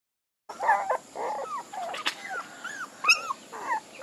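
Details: Several puppies give thin, high, bending whimpers and yips, each cry a brief rising-then-falling squeal, packed closely after a short silent start.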